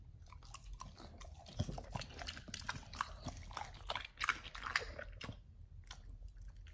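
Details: Pit Bulls on a raw diet gnawing beef chunk, quail egg and duck wing; soft crunching and wet bites over a low background rumble, densest in the middle, then fading out.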